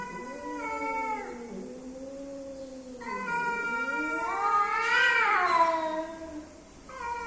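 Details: Male and female cats coming together, making strange sounds: long wavering caterwauls, low moaning tones that slide up and down, with a louder rising yowl overlapping near the end.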